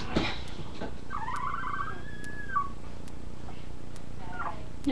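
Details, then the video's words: Puppies with their mother close by; one gives a thin, drawn-out whine that rises and then holds level before dropping, with faint clicks and room noise around it. "Puppies Making Noise"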